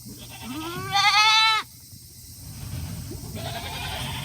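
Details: Tokara goat on a farm in Himi, Japan, on a hot day, 8 August 2021, eager to get back to its shed after eating; a low rising bleat, then one loud, quavering, harmonic-rich bleat, followed by a fainter call.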